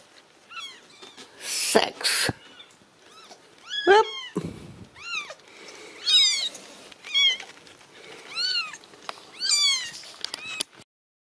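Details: Ragdoll kittens from a home cattery in central Kansas, raised without cages, giving repeated high, thin mewing cries, several overlapping arched calls every second or so, with brief rustling bursts and handling noise between them.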